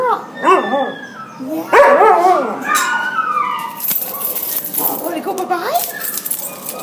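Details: At the pound in December 2014, a Border Collie Husky mix wails in wavering, bending howls, with a loud burst near two seconds, then quieter warbling cries amid hiss and background clatter.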